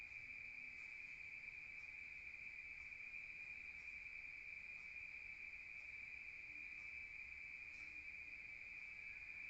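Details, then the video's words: Crickets at night in a rural setting, heard from outside: a steady, high, continuous trill with a faint harmonic above, holding an even level from start to finish. "Rural Nature Sound of crickets at night heard from outside"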